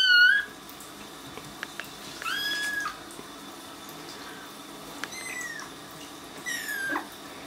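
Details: Kittens in their first week in a new home, placed in a bathtub and not liking it: short high mews around a second apart, a bright squeaky cry opening the clip, with faint splashing and room echo.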